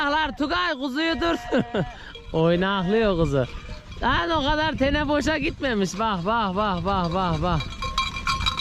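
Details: Lambs just taken from their mothers cry out for them in a near-continuous chorus of loud, tremulous bleats, several overlapping calls with only brief gaps, and a faint metallic ringing in the background.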